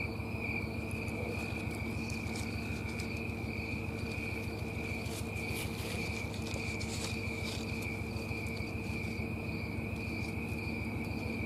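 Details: Snowy tree cricket in trees on a Colorado summer night, September 4, 2022. It gives a steady pulsing high chirp about 100 times a minute, overlaid by scattered rustling and clicking handling noises.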